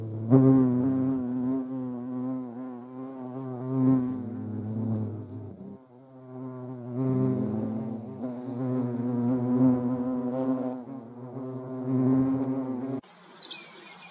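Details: European hornets (Vespa crabro) give a deep, steady droning wing buzz that swells and fades as they move about.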